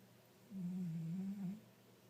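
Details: One long, low droning snore from a sleeping five-year-old pet tabby, a steady buzzy tone lasting about a second that dips slightly in the middle before fading.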